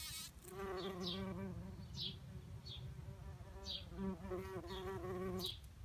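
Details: Bumblebees foraging in a garden in the morning, a low steady buzz with harmonic bands rising and falling as the insects move, while thin descending bird chirps sound repeatedly in the background.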